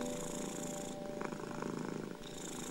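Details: Domestic cat purring, mixed into soothing piano music meant to calm anxious, ill and stressed cats; a steady breathy rumble swelling and fading in cycles of roughly a second, over a faint sustained piano tone.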